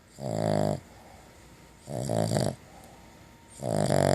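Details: Female dog napping after chewing a bacon-flavoured long-lasting chew snores deeply and rumbly, with three rasping breaths spaced under two seconds apart and quiet pauses between them, indoors.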